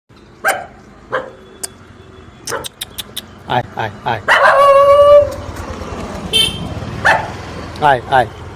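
A dog gives short, sharp barks at an uneven pace, with one drawn-out whining yelp partway through.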